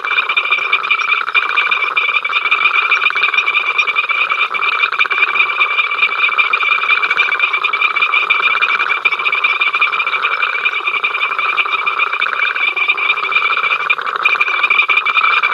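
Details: A long run of the incessant frog row at Ol Donyo, africamLIVE camera, 5 October 2023: a steady mass of fast pulsed croaks and trills from many frogs, slightly swelling and easing but never stopping.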